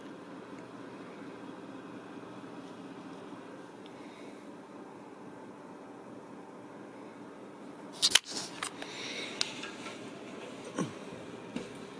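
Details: Indoor fan-like hum runs steadily until a sharp clatter and a few handling clicks and rustles break in after eight seconds.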